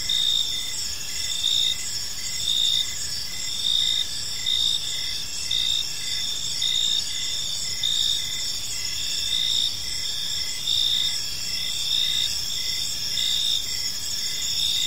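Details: A park at evening filled with cricket chirps, high-pitched pulses repeating close to once a second over constant ringing trills and a faint low hum.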